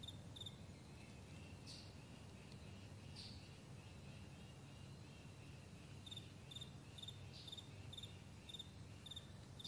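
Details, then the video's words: High, thin cricket chirps at a vast meadow in the morning, sparse at first and then coming in quicker pulsed bursts, all set against a low continuous hum. "Morning Crickets"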